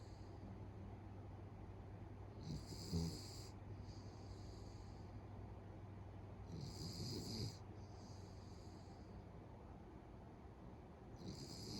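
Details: Dozing pet Beagle, known for loud snoring that builds up like a man's; three harsh snores, each followed by a softer wheezy breath, over a constant low hum.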